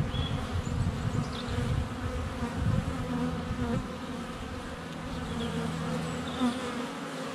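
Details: Many honey bees flying around the hive entrance in February sunshine, captured by a GoPro less than a foot away; steady droning hum with individual bees whizzing past, a few thin bird whistles in the background.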